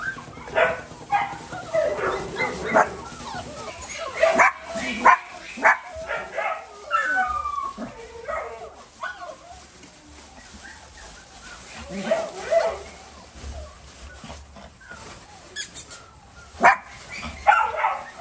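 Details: Havanese dog giving short yipping barks in scattered bursts, some clustered quickly together, with pauses between and faint speech-like sounds in the background.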